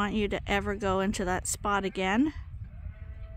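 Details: Sheep waiting at the gate at Ewetopia Farms before going out to fresh grass for the first time this year; a run of loud, wobbling bleats packed close together, fading to a faint thin tone.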